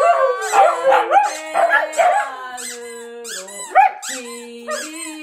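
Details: Tatu and Kkungjji, a Siberian Husky and a Shiba Inu kept as pets, howl along to the Korean national anthem: bending, wavering howls at first, then a few sharp yips over held musical notes.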